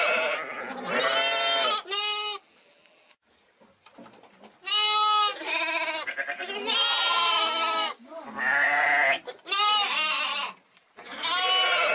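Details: Young sheep (lambs or hoggets) bleat in loud, wavering, nasal cries, several in quick succession.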